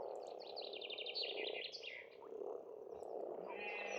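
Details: Spring pond chorus of frogs on an Estonian farm, a continuous low croaking hum beneath a loud, quick series of sweet descending bird notes and a later thin whistled trill.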